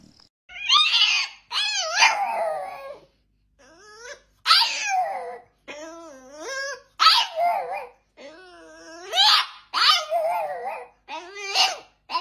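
A French Bulldog puppy vocalizes in short, whiny bursts, each sliding up and down in pitch like grumbling talk. The calls come in quick succession with brief pauses between them.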